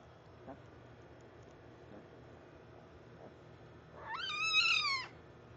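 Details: Bengal tiger cub giving one drawn-out, harmonic mewing call lasting about a second, rising then falling slightly, over a steady low background hum with a few faint clicks.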